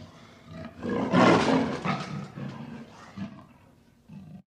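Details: Panther roaring: a broad, rough roar swelling to a peak after about one second, then several shorter grunting pulses fading over four seconds, with a brief final grunt.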